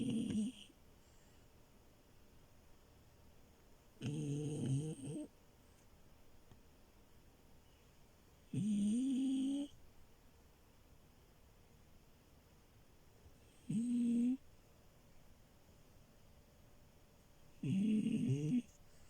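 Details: French Bulldog puppy named Milo asleep on a bed, snoring in loud rasping bursts of about a second, five over nineteen seconds, with quiet pauses between breaths indoors.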